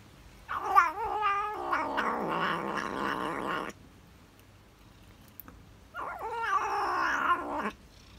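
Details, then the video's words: Gourmet tabby cat munching cheese, letting out a drawn-out growly, wavering moan for about three seconds, a pause, then another quivering, rising-and-falling murmur. "Gourmet tabby cat cheese eating serenade"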